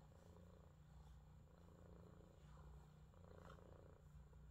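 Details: A blue male Scottish Fold cat, born 28 June 2022, purrs in a steady, low, rumbling drone.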